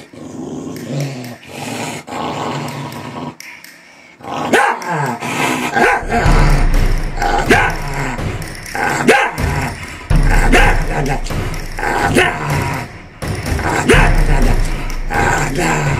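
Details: Angry Corgi growling with a rapid, clattering, castanet-like rhythm, about three pulses a second. Rough, noisy bursts fill the low range and sharp clicks run through it, after a quieter, scuffling start.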